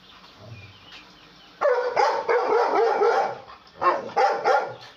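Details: Afghan Kuchi dogs. A quiet start gives way to loud, harsh, rough barking bursts after about one and a half seconds, repeated in a rapid irregular run, with a short pause before two more gruff barks near the end.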